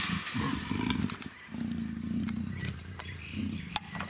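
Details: A nearly two-year-old female black African leopard at a big cat breeding centre, in her first heat, gives deep, rumbling growls in a series of rough pulses.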